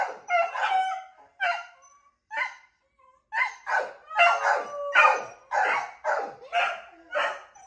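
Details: Pet beagles calling out as one of the owners steps outside for a minute; about ten wavering, whining howl-barks in quick uneven succession, roughly one per second, with rising and falling tones in an indoor setting.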